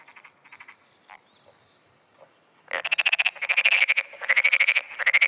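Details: Early-morning black-spotted pond frog, June 2009, responding to nearby frogs: faint distant croaks at first, then after nearly three seconds a loud close series of rattling pulsed bursts follows almost without gaps.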